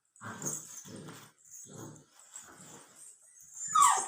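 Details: Young Labrador Retriever puppy at 64 days old growling softly indoors, four or five low, grumbling pulses about half a second apart, ending in a sharper higher yelp.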